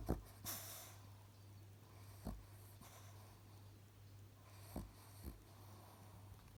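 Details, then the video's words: Alfie, a cross-eyed pet Chihuahua, snoring while asleep: quiet, short snorty breaths roughly every two to three seconds, with a pair of closer snorts near the end, over a steady low electrical hum in a quiet room. "“ALFIE” snoring chihuahua"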